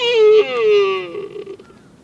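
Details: Buck deer at Nara Park, Japan, giving a single drawn-out bleat. It is a clear, slightly falling tone rich in overtones, briefly breaking midway, then trailing off into a quieter, rougher ending.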